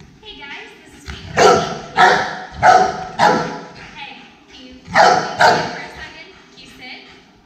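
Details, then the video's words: Rottweiler in an aggression case during training, barking loudly: harsh, deep barks in two bursts, four then two, about half a second apart, with faint human speech beneath. "Rottweiler "Ali" | Aggression Case"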